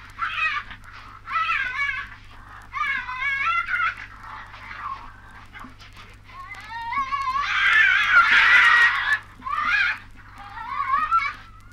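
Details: Tasmanian devils recorded in Australia on a 1968 wildlife record give wavering, whining screeches about a second long, with a harsher, louder burst midway, over a low underlying hum.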